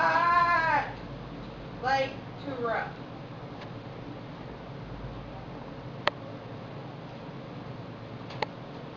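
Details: Several Chihuahua puppies playing all over an indoor floor: a high, harmonic whining yelp opens, followed by two shorter squeaky whines near the two-second mark, then a quiet room broken by a couple of faint taps.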